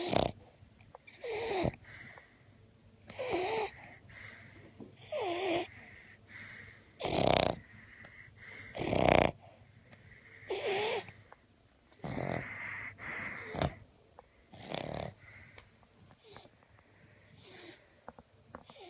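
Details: Newfoundland and Cavalier King Charles Spaniel dogs snoring: loud rasping snores in regular bursts roughly every two seconds, each a broad rough rush of breath with quieter gaps between.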